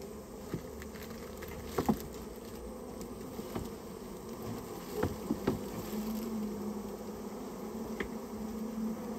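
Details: Japanese honey bee colony that nested inside a storehouse, heard as it is being removed: a steady, low, droning hum of many wings, broken by scattered sharp taps and knocks.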